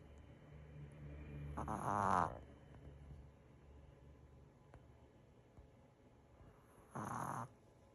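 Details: Five-year-old Maltese dog asleep, worn out after being chased around by another pet: two soft breathy snores about five seconds apart in an otherwise quiet room.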